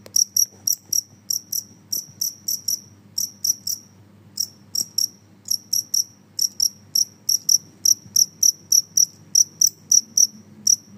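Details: Noisy Genggong cricket chirping steadily: bright, high-pitched pulses repeated about twice per second in an uneven rhythm, each a short sharp trill, over a faint low background hum.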